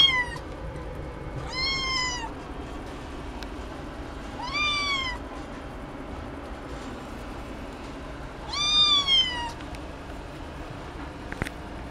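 A Ragdoll cat gives four clear, rising-then-falling meows, spaced a few seconds apart.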